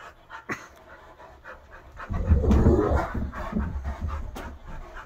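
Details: Rough living-room play between a Great Dane, a wolf-hybrid and an Aussie mix, inside a house; soft noises give way midway to loud, rapid, huffing pants and dull bumping of bodies.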